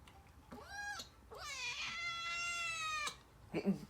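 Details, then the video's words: Begging kitten meowing for human food while chicken is cut up in a small room: a short rising-falling meow, then a long, loud, harmonic-rich meow of about a second and a half that slowly falls, followed by a soft rustle. "Shaggy the Kitten meowing for human food"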